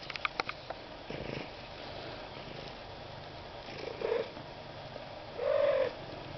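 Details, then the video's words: Recently rescued one-eyed cat named Goemon Shinobi making silly noises: two short, rolling trills a second and a half apart, the second longer and steadier, following soft tapping sounds. "One-Eyed Rescue Cat Makes Silly Noises"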